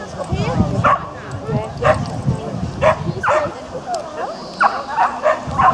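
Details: Japanese Spitz at an agility event, the annual Spitz in the Park between Tewkesbury and Evesham, England, July 2015: sharp short barks repeated roughly every second, some in quick pairs, amid steady talking from people around.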